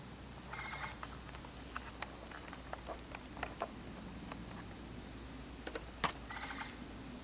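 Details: Japanese giant flying squirrel (musasabi) recorded on Mount Takao, Japan, on 19 August 2014: two short, harsh, trilled bursts with stacked harmonics, one early and one near the end, amid scattered faint clicks and steady background hiss.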